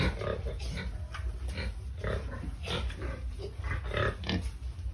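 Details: Noisy domestic pigs at feeding time: a quick run of short, rough, broadband grunts, about ten bursts in five seconds, overlapping and uneven, with low rumbling background noise.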